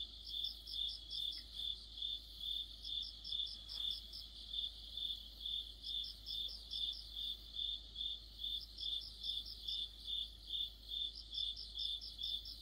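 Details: Crickets and companion insects in an autumn chorus, bright pulsed chirping at about two per second, with recurring spells of a higher, quicker trill from a second singer over a faint hum.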